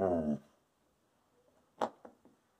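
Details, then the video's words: Peaches the Wolamute, an indoor wolfdog refusing to share her two treats, opens with a short, low, harmonic whine-grumble, then quiet pauses and a few sharp clicks and taps. "Wolamute doesn't share"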